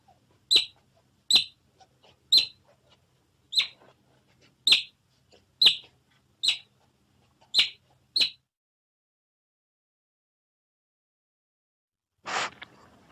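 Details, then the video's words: Nine crisp, high otter chirps spaced about a second apart, then a long silence ending in one brief, breathy rushing sound. "2 Hours Otter Sounds Effect"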